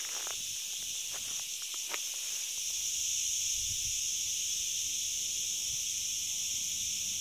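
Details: Crickets along the forest road at Ghafsai, Taounate Province, Morocco: a dense, continuous high-pitched shrill chorus throughout, with footsteps or rustling and low rumbles in the first seconds.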